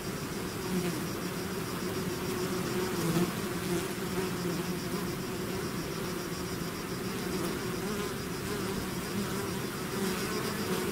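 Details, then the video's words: Bees swarming out of their hive fill the air with an unbroken droning buzz, layered low hums and passing whines of nearby insects, level almost constant throughout, with faint soft knocks now and then. "bees therapy swarm natural buzzing sound"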